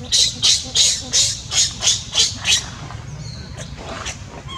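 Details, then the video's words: Newborn baby monkey crying while its mother does not care for it: eight harsh, high squealing cries in a steady run of about three per second, then fading to quieter faint sounds. "Newborn baby monkey crying when mom not care on him"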